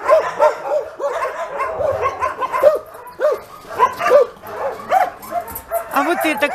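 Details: Homeless mongrel dogs among some 2,000 animals hoping for a home; rapid arched barks repeat several times a second from many dogs, overlapping in a steady, noisy chorus.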